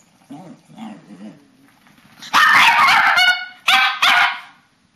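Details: Papillons and a shih-tzu vocalizing together as a bedtime ritual, indoors, March 2007: soft low whines build into a loud, harmonic, yodelling howl-chorus with wavering pitch, broken into several rising and falling bursts.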